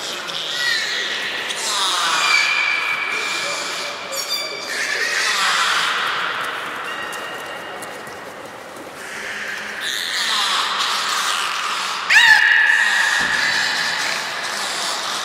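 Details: Young captive belugas at Port of Nagoya Public Aquarium, 5 November 2017, playing during a pool transfer; steady whistles near one pitch with overtones, interrupted by bursts of pulsed, buzzy squeaks and falling chirps, with water noise in the background.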